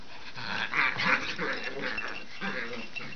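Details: Norwich Terrier siblings Brooklyn and Cooper at rough play, Brooklyn beating up her brother; rasping growls and whiny vocal bursts, loudest near one second, then a softer growl at two and a half seconds.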